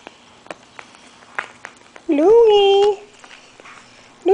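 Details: Five-week-old Maltese/Yorkie (Morkie) puppies indoors; one loud, clear yelping whine lasting under a second, rising sharply then holding a steady pitch, with a second cry starting at the end, amid soft taps and quiet ticking.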